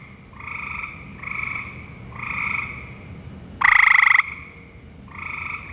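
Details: Gray treefrogs at a vernal pool in Ohio, one on a cottonwood, give short, musical trills, with one loud nearby caller over a softer chorus; Gray treefrog.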